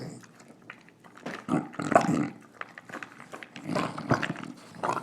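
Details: Eating her dinner, English Bulldog Nila snarls and snorts in gravelly, growl-like bursts that swell and fade about every second, mixed with wet chewing sounds.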